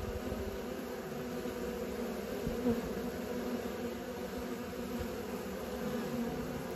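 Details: Young honey bees taking practice flights, heard as a thick steady buzz of many wings, unbroken for the whole stretch with a brief louder pass near the middle.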